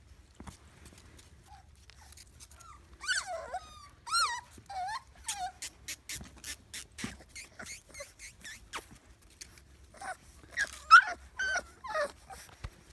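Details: Male mini Bulldog puppy indoors, giving a string of high, wavering whimpers and short yelps with bent, sliding tones, coming in bursts separated by brief pauses, with a faint low background hum.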